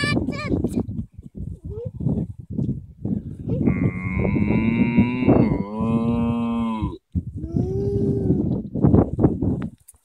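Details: Cattle out in an Irish field answering a person who talks to them. After some talking comes a drawn-out, deep moo of about three seconds, then a shorter, softer moo. Speech continues between the calls.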